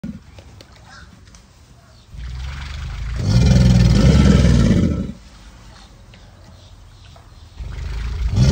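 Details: Alligator bellowing in mating season: after quiet stretches with faint voices, one deep, rumbling, harmonic roar swells for nearly two seconds, then fades to low background murmur before another rise begins at the end.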